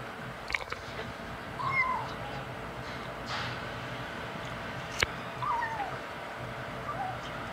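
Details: Five-week-old male kitten, one of five, meowing while eating the adult cats' dry food indoors; a few short, high, downward-curving meows, faint and spread out, with small clicks and crunching between them.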